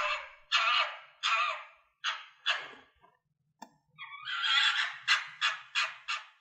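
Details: Harsh, hoarse fox barks in quick succession, a short pause broken by a single click, then another fast burst of rasping barks building in loudness.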